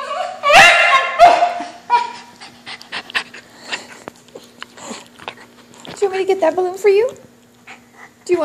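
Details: A Whippet mix named Kimchee, eager for a balloon and wrestling with his brother Rocky, gives two loud piercing yelps, then soft scuffling and a run of whiny, quavering cries, with a faint steady hum underneath.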